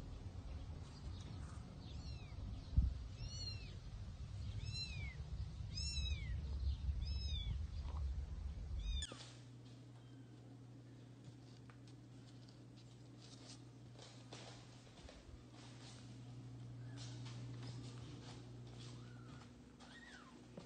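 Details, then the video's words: Kittens meowing loudly while their mother cat carries them to a new place: a run of high, thin, arching meows repeated in quick succession for several seconds, then a steady low rumbling background with only an occasional faint cry. "Mother cat carries loudly meowing kittens to a new place"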